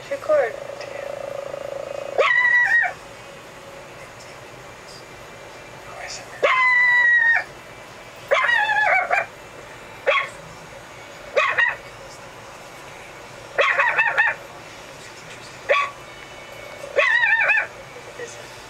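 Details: Curious female Pekingese giving short, sharp yaps with ringing harmonics, about seven bursts over eighteen seconds, some in quick pairs, against a quiet indoor background.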